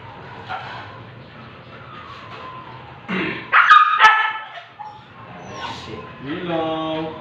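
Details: Siberian Husky stud during artificial insemination, giving a sudden loud yelping burst midway, followed after a pause by a drawn-out, strongly harmonic whine at the end, with low human voices in the background.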